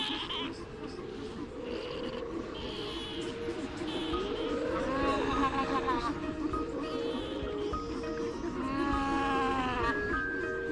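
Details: Juan Fernandez fur seals on the Juan Fernandez Islands in the cooling afternoon give wavering, bleat-like contact calls, a returning mother calling for her starving pup amid a noisy beach colony.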